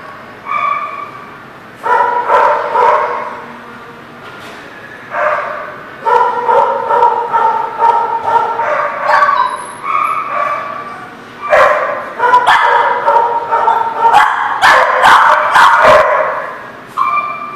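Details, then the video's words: Dog barking in bursts of a second or two, separated by short quiet gaps, with sharp clicking knocks near the end. "The Barking Lot"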